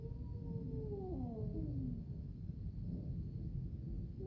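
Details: Pet cats Orange Caramel and Grey Fox talking while food is being prepared: overlapping drawn-out meows gliding downward over about two seconds, then only a steady low household rumble.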